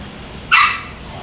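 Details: German Shepherd Dog at a pet shop in Kobe, Japan, giving a single short, sharp bark over a low background hum.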